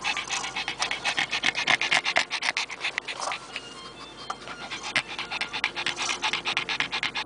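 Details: Oscar, an 11-year-old male Pekingese shelter dog, sits in a parked car in Richmond, Canada, after a walk and pants unevenly in breathy, hissing bursts that slow at times; soft music and a human voice are heard behind.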